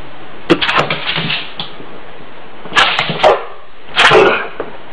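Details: Dog indoors reacting to a fart sound, giving three groups of short, harsh bursts: a cluster early on, another near the three-second mark, and a final burst toward the end, with quiet gaps between.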